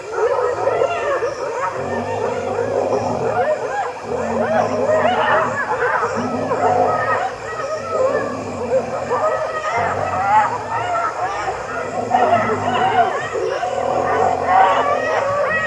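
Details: In Zambia, where lions had been hunting, spotted hyenas (Crocuta crocuta) howl to call for reinforcements, then raise a loud, overlapping chorus of whoops and cackles while mobbing a lion to drive it off its prey.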